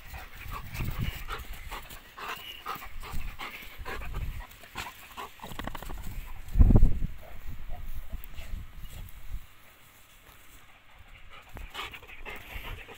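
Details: Adult male chocolate Labrador Retriever, three and a half years old, panting in quick low breathy puffs, roughly four per second, with one louder thump near the middle; quiet indoor room noise.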